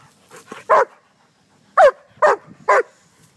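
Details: Pet German Shepherd among leaves barks while its owner gives commands: soft grunting yips build to four loud, clipped barks, the last three spaced about half a second apart, amid quiet outdoor surroundings.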